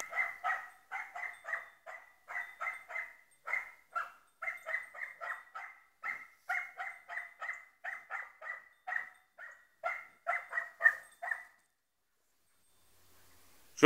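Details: Rapid, even series of about thirty short, yapping barks from a Croatian Sheepdog over roughly eleven seconds, followed by silence and a sudden loud knock at the very end.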